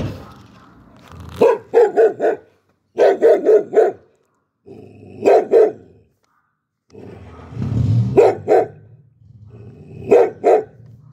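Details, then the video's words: Red Chow Chow, a Cantonese bear dog, barking in quick bursts of two to four sharp barks separated by pauses, with a low rumbling noise between some bursts. "CHOW CHOW BARKING"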